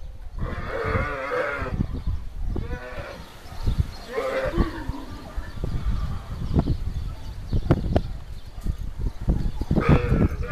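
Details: Camels scuffling at the Cyprus Camel Park, in a fight or mating attempt: drawn-out wavering bellows around one, four and ten seconds, separated by low, irregular throaty grunts and rumbles.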